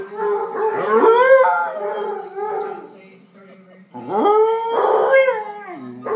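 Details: Pet dog Arran sings with other dogs, a chorus of long rising howls that climb and hold, wavering with overlapping voices, a quieter lull in the middle, then another swelling round of howls.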